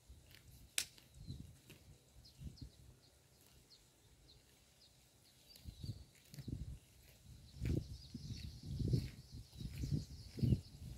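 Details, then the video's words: Cow grazing on roadside grass, chewing up close: soft low crunching bursts that come in irregular runs, fall quiet through the middle, then grow denser and louder toward the end, with faint rustling above. "The Unique Sound of a Cow's Mouth Eating Road Grass"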